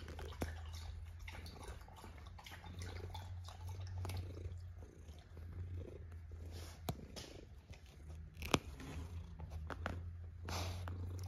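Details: Domestic cat asleep and snoring, a steady low rumble running throughout with a few sharp ticks and soft mouth noises over a quiet indoor background.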